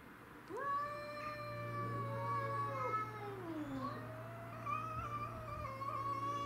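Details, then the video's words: Domestic shorthair cats fighting over territory: Tom (black and white), Mimi (white and ginger) and a grey-and-white neighbourhood stray. Long, drawn-out wailing yowls slide up and down over several seconds, with a steady low hum underneath. "Craziest Cat Fight Compilation Video"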